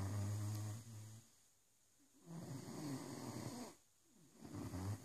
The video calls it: Rosco the Great dane snoring 😄